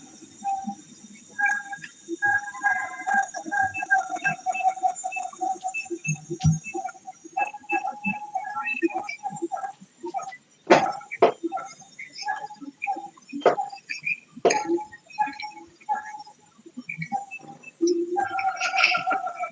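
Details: Siamang, the largest gibbon, from the forests of Peninsular Malaysia, where its song carries 3 to 5 km. A recording is played back: repeated harmonic hoots near one pitch, rising into louder whooping bursts with sharp barks, plus some room noise.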